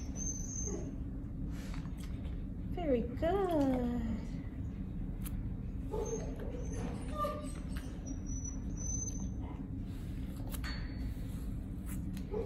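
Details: A five-year-old tan and white male mastiff/pit bull mix named Noah whimpers twice in quick succession, each whine swooping down from a thin high tone. Gentle praise from a person and indoor hum fill the rest.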